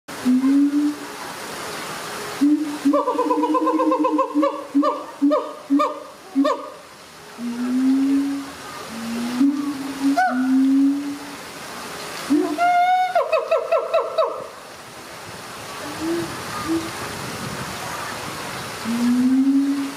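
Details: Captive siamang family of mother, father and baby at ZooTampa in Tampa, Florida, duetting to strengthen the pair bond: low droning booms alternate with rapid bursts of loud, harmonic barking notes, two main bursts separated by quieter booming.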